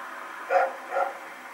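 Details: Two soft, short barks half a second apart come from Rex, a dog running around at night, recorded September 21, 2018, over a steady hiss.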